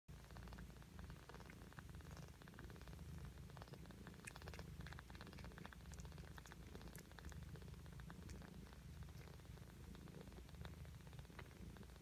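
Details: Ragdoll kittens, six days old, purring: a steady low rumbling purr throughout, continuous and even, with faint scattered clicks and small rustles above.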